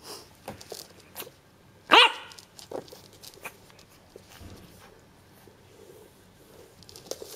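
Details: French Bulldog puppy on its first day, indoors in a small room; a single sharp, high yap stands out near two seconds, with faint softer sounds and quiet background otherwise.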